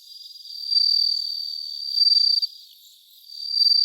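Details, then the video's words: Bell cricket recorded live around 3 a.m. on 3 September 2023: a thin, very high, ringing trill that swells into bright bursts about every one and a half seconds, otherwise a quiet night. "2023年9月3日 生録 スズムシ"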